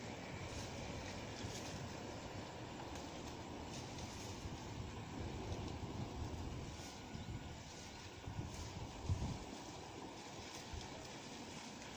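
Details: Steady broadband outdoor rumble, like wind or surf, with a faint high hiss and no animal calls.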